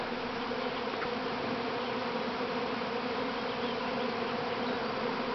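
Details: Swarming honey bees leaving the mother hive at Grass Lake Sanctuary in Manchester, Michigan, May 13, 2012, the colony's first swarm: an unbroken, even, thick humming buzz filling the air.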